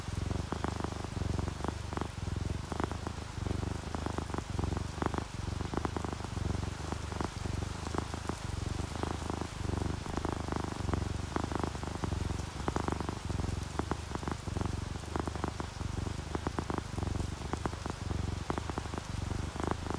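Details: Contented purring of sleeping cats, an orange tabby and a calico, a soft low drone pulsing rhythmically for the whole stretch while rain patters and drips tick sharply over it.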